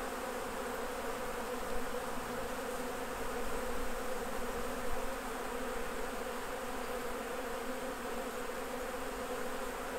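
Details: Continuous low buzzing of a mass of honey bees around hives as the beekeeper harvests honey. The drone stays even and unbroken throughout, thick and layered, with only slight swells in loudness.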